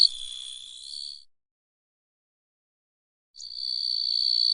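A grasshopper gives a steady, high-pitched buzzing trill in two bursts, separated by silence.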